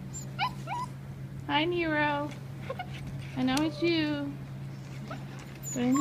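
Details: Black Russian Terrier puppies playing together at a kennel; drawn-out whines with stacked overtones, each rising then sliding down, two long ones about two seconds apart, with brief yips and a woman talking to the dogs.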